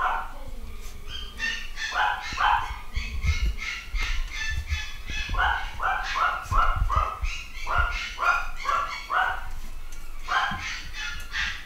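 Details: New litter of nine-week-old Malshi puppies, males and females; rapid high-pitched yips and barks tumbling over each other almost continuously, several pups calling, with faint human voices behind.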